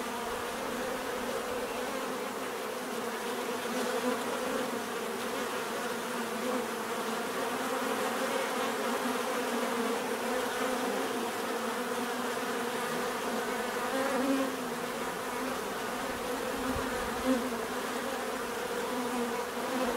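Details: Steady swarm hum of bees, a layered low buzz that swells slightly and eases, constant for the whole stretch with no other sounds.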